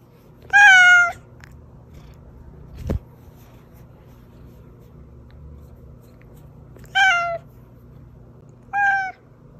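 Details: Pet cat Oz meows three times: a loud, bright, slightly falling meow first, a similar one after a long pause, and a shorter one close behind. A single dull thump sounds in between. The call is used to lure hiding cats.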